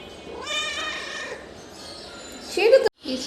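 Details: Chatty pet cat answering its owner, who speaks Bengali about working to buy cat food and litter; a long harmonic meow rising then flattening, followed by a shorter sharp call near the end.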